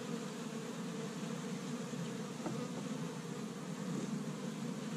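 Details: Honey bees busy at an established hive on the first warm day of spring in Michigan, gathering pollen from tree buds; a steady low droning hum fills the whole stretch without pause.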